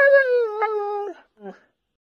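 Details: A pet Siberian Husky from the pair Max and Bombón gives a drawn-out, slowly falling tonal whine, then two brief clipped yelps, producing a "talking" sound in a quiet room.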